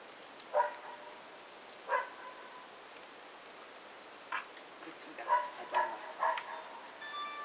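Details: Three 109-day-old Shiba Inu brothers romp with Peko, a seven-month-old female Shiba visiting them; two spaced yelps, then a quicker run of four or five short, tonal barks toward the end.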